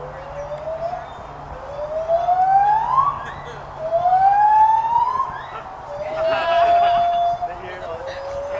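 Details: White-handed gibbons calling at the Santa Fe College teaching zoo in Gainesville, Florida: long rising whoops sweeping upward, three loud swells about two seconds each, with a steady low hum beneath.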